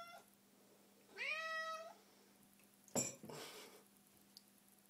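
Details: Small domestic cat hunting a milk carton indoors, letting out one clear, bright meow that rises then levels off, followed by a clatter and rustling of the carton.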